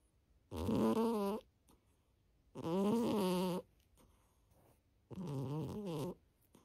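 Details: Sleeping domestic cat, a ginger cat, snoring indoors: three slow drawn-out rasping breaths about every two and a half seconds, each a buzzy rattling tone with quiet pauses between.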